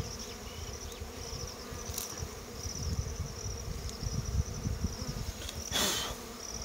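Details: Continuous humming of honey bees around a harvested comb in natural surroundings, with low rumbling handling noise and a brief hiss near the end.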